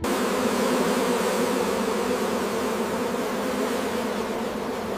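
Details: Honey bees at a large commercial beekeeping operation managing many hives: a dense, continuous swarm hum with steady low tonal bands, holding an even level for five seconds without breaks.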